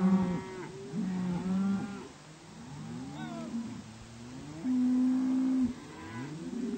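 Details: Cows moved to spring range, a series of drawn-out lowing moos, some flat and steady, others bending upward, several animals calling in turn.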